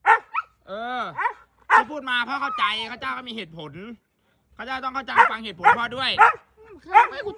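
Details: Siberian Husky welcoming dad home indoors, producing arching, sliding yowls and long moaning tones in several bursts, with a man speaking throughout.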